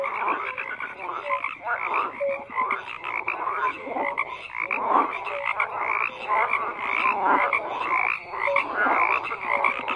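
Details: Many frogs call at once in a thick, buzzing chorus. Rough croaks swell and fade in waves, and a few brief higher tonal notes poke through now and then.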